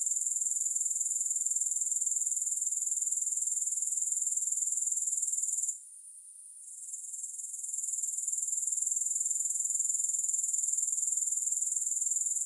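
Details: Steady high-pitched grasshopper chirr of fast, regular pulses, interrupted midway by a quiet gap of about a second before resuming at full strength.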